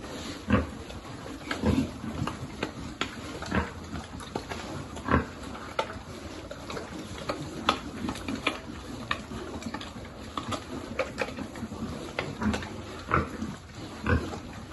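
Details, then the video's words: Piglet at a pig farm during feeding, giving short low grunts among frequent sharp clicks and smacking eating noises, with a steady background hiss. "Feeding lovely piglet"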